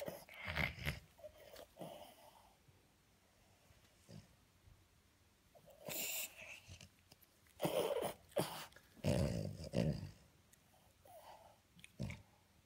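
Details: French Bulldog being tickled by its owner, producing wheezing snorts, piggy grunts and breathy growls in irregular bursts about every second or two, indoors in a small room.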